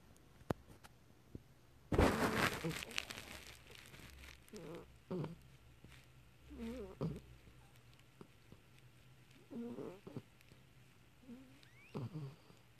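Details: Pomeranian puppy named Mocha asleep, snoring softly: short rasping, nasal breaths recurring every two to three seconds, with a brief loud rustle near the start and a quiet room otherwise.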